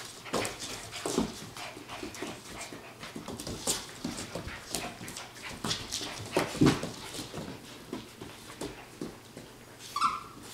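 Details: 8-week-old Standard Poodle puppies give soft whimpers and pants amid scuffling, with one high whine near the end.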